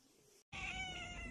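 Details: Cat from a funny cat compilation giving a loud, drawn-out meow with steady, rich harmonics that is held for almost a second, cut in after a short silence.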